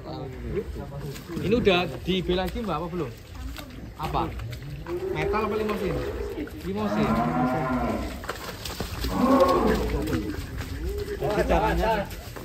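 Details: Giant show cattle named Ken Arok Bimasakti, readied for a contest in DKI Jakarta, Indonesia: drawn-out, deep harmonic moos swelling and fading several times, with people chatting nearby throughout.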